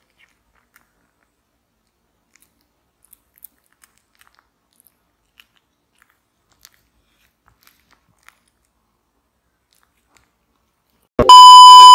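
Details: Faint scattered clicks of quiet chewing, then a sudden loud, steady electronic tone in the last second; no animal voice.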